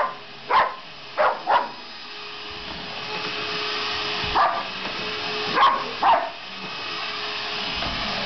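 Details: Dog named Sasha barking at a running vacuum cleaner, reportedly hating it; a few sharp barks early, a pause, then more barks over a steady droning hum.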